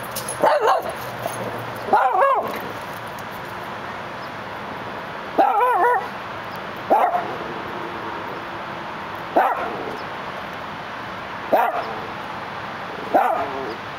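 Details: Dachshund looking through a gate in Los Angeles, giving sharp, ringing barks, some in quick pairs, about seven over fourteen seconds at uneven gaps, over a steady hum of city background noise.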